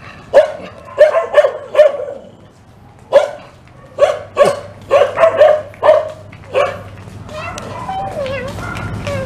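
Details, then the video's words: Fierce dog in Indonesia barking at people passing by on a morning walk; a series of about a dozen sharp barks in uneven bursts, then quieter whining tones and a steady low hum. "Jalan Di Gonggong Anjing Galak"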